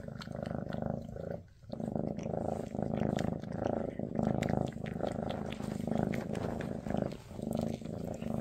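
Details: Maine Coon mother Freya purring beside her kittens on their final day together before rehoming: a loud, close, rhythmic rumbling purr with one brief pause, plus light rustling.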